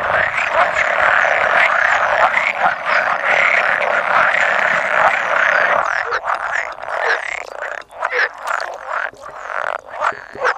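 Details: Roughly 100 male pool frogs call at a spawning site on 16-5-17, with an edible frog croaking now and then. Overlapping croaks form a steady chorus that thins into separate, distinct croaks in the second half.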